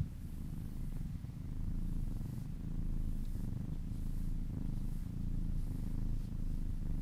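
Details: Happy kitten purring during massage, a strong deep purr rising and falling in gentle waves about once a second, very steady.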